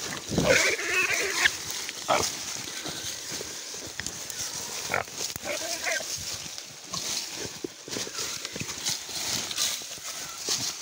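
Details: Wild boar during a hunt: a brief harsh, harmonic squeal about a second long near the start, followed by steady rustling, crackling and scattered broadband thumps through the rest.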